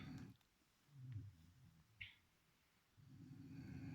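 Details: Chipi, a sleeping pet beagle, snores in soft, low, rumbling breaths: a short one at the start, another around one second, and a longer drawn-out snore in the last second, with quiet pauses between and one faint click.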